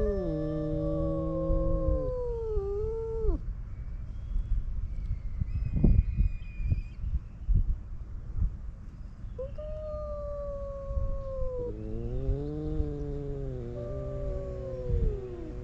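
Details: Male stray cats on a cat island in a fight, trading long wavering yowls, some low and growly, others higher and drawn-out, with rustling and knocking noises between calls and low rumble throughout.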